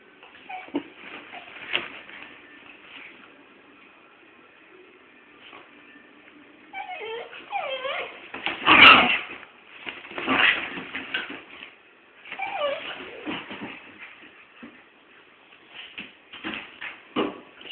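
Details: A little dog and a big dog at play, mock fighting: a quiet start, then from about seven seconds rising whining yelps, a sharp loud bark near nine seconds, and further scattered yips and growls.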